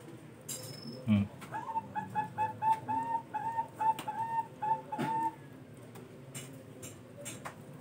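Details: Sugar glider giving a quick run of about a dozen short, evenly spaced, mid-pitched tonal yaps over roughly four seconds, each clipped and slightly rising, with a dull knock just before the series and quiet background afterwards.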